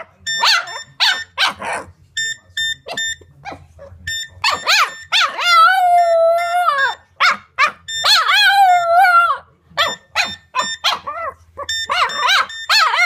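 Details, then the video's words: Pet Boston Terrier Nala howling with a phone's ringtone. Short yelping notes give way to two long, steady, tonal howls of about two seconds each, with choppy whines between. The beeping ring pulses on throughout. "Nala the Boston Terrier howling with the phone"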